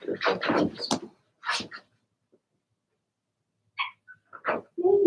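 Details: Cavalier King Charles Spaniel puppies, a Blenheim litter of six (two females, four males) in an indoor puppy pen, give a quick run of high yapping barks, then sparse yelps and whimpers after a short pause.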